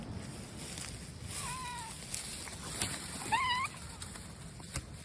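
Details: Stray brown mackerel tabby cat outdoors, two faint rising meows about two seconds apart, the second brighter and wavering, over steady low wind rumble.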